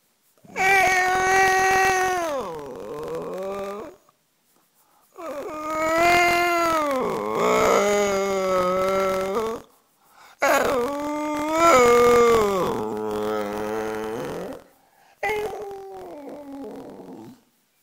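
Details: Cosmo, a pet dog known for "talking", makes four drawn-out howling phrases of about three to four seconds each. Each phrase wavers, then slides downward, with short silent gaps between them.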